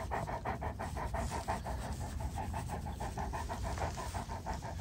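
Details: Belle, a female Great Pyrenees born in 2022, panting after happily playing tag with Father: rapid, steady rhythmic breaths, about three per second, with a hoarse band of breathy pulses and a faint low hum beneath.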